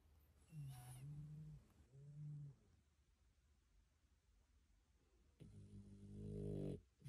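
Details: Dog asleep after a walk, snoring indoors: low, droning rumbles in three bouts separated by quiet breathing pauses, the last bout louder and rougher.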